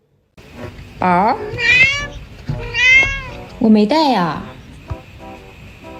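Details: Yuanbao, a pet cat, yowls early in the morning for more food right after eating: four loud, harmonic-rich meows, each rising then falling, over a faint steady tone in the background.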